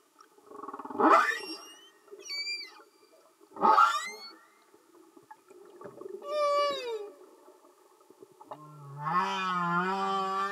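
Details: Underwater humpback whale song from singing males: pulsed grunts alternate with a high downswept whistle and a descending harmonic cry, ending in a sustained low moaning tone.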